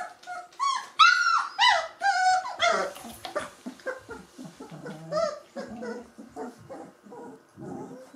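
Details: Three-week-old Gordon Setter pups whine in high, wavering harmonic cries that open loudly, then break into a busy run of shorter yips, grunts and low growly murmurs.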